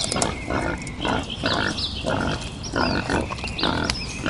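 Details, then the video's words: Wild boar giving harsh, rough grunting bursts about every half second in a steady rhythm, with short squeaky chirps sounding above them. "Wild Boar Sounds"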